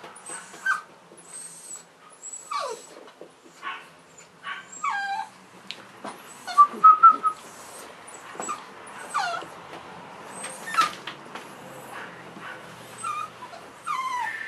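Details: Soft, high-pitched whimpers and squeaky whines come from three Cavalier King Charles Spaniel puppies, March 2014. The calls are brief, often falling in pitch, and spaced irregularly over a quiet background, with one louder cluster midway.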